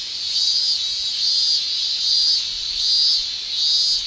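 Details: Japanese summer cicada song from males: a shrill, pulsing buzz that swells and fades in regular waves, roughly one surge every 0.6 seconds.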